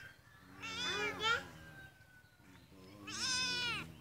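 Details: Cat crying out in two long, loud meows, the second higher and strained like a wail, separated by a quiet pause with a faint whistling tone.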